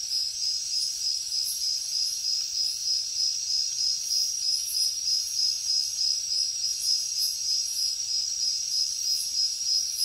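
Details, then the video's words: Jungle at night full of crickets and insects: a high, sustained metallic trill pulsing regularly about three times per second, layered with a faint hiss of more distant callers. "Insects sounds | Cricket sounds |Jungle night"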